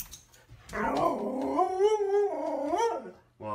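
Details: Siberian Husky vocalizing indoors in one drawn-out, wavering howl lasting about two seconds, its pitch dipping and rising in a talkative, yodel-like way before a brief quiet gap and a short sound at the end.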